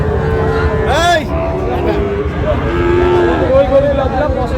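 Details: Young Sahiwal calves, sold in pairs at a Bangladesh cattle market; several overlapping moos, one rising and falling sharply near the first second, with bargaining voices and market hubbub throughout.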